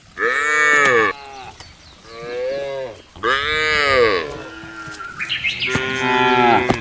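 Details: Cows in a field mooing: four drawn-out, richly harmonic moos, some higher and brighter than others, each about one second long and separated by short pauses.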